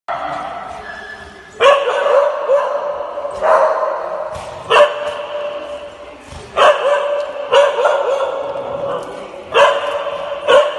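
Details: Alaskan Malamute at doggy daycare, jealous because its companion is playing with other female dogs. It gives loud, drawn-out, harmonic woo-like vocal bursts roughly every one to two seconds, with quieter murmuring between them.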